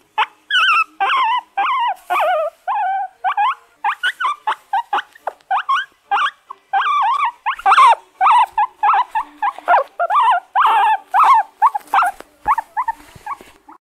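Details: Guinea pig (Cavia porcellus), call.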